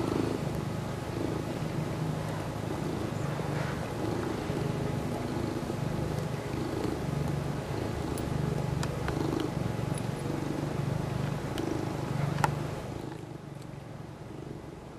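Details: Purring from Toshiro, a male mackerel tabby aged three, as he kneads a catnip-infused knit pillow indoors; a continuous low rhythmic throb, rapid and even, with a few faint ticks and fabric rustles, fading near the end.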